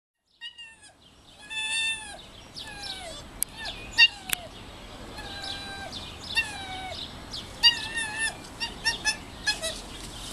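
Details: Bush dogs at Madrid Zoo, playing a chasing game, give high, squeaky whines that slide downward, several voices overlapping with sharp clicks between.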